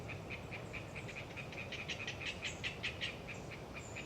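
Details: Hyla orientalis tree frogs chattering on a windy autumn day in the Galeriç Swamp Forest, Kızılırmak Delta, Samsun: rapid series of short pulsed notes, about five per second, steady then slightly louder, with thin high notes above and a low wind rumble.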